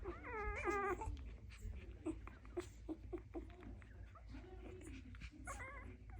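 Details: Dalmatian puppies making noise indoors: several high, wavering whines with clear harmonics at the start and end, separated by short soft squeaks and snuffling sounds.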